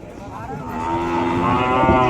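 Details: Khillar cattle at the 2026 Chimangaon breed show in Satara, Maharashtra, held for the Kaleshwar fair, with a class for heifers over one year old; a long, loud, steady moo swells over a noisy crowd.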